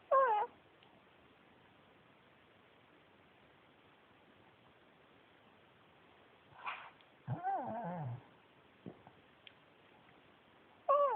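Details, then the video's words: Yuyu, a male Pekingese adopted from a shelter, talking indoors: a short warbling whine opens, a longer wavering, yodel-like vocal run follows after a quiet pause, and another brief whine closes. Small clicks in between. "pekingese talking, yawning, sneezing"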